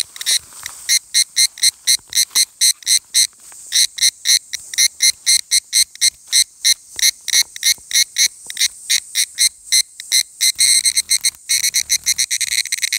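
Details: Higurashi cicada at dusk, 17:42, 23 July 2018, Takahashi City, Japan, pouring out a long series of sharp ringing pulses, fast and slightly uneven, growing denser and blurring together near the end, over a quiet background.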